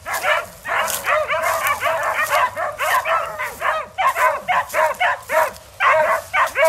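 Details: Beagle and walker hounds baying up a big red coyote inside a pen. Choppy, arching bays with a rising and falling ring overlap from several dogs, coming in quick clustered runs with brief breaks.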